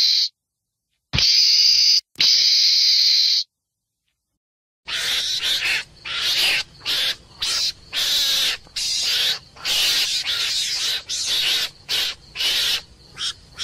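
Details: Screaming meerkat, two sustained rasping hiss-like bursts, then after a pause a rapid run of choppy screechy calls roughly one per second over a faint background hum.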